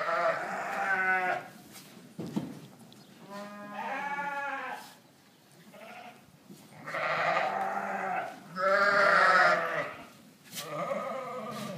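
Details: South African Dorper sheep bleating on a ranch: a run of loud, quavering, nasal bleats, each about a second long, several animals calling back and forth with brief pauses between.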